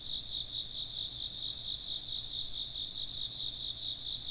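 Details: Insects chirping in a dense, steady chorus of high, shrill trills layered at several pitches, pulsing rapidly without pause; a faint low hum sits underneath.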